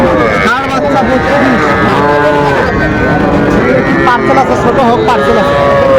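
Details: Young Sahiwal bull calves at a market in Bangladesh, 11 November 2024, bought by a Dhaka farmer: several bleating moos overlap in a busy stretch, some short and falling, one held toward the end, amid people talking and bargaining.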